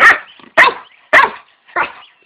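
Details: Doberman and Boxer mix dog barking: four loud, sharp, rough barks spaced about half a second apart, each short with a quick fade, in an otherwise quiet setting.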